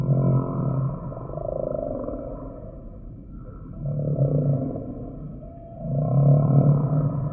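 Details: Humpback whale song made of three deep, buzzy moans that swell and fade roughly every two to three seconds. Each moan carries a hoarse, mid-pitched overtone above the low throb.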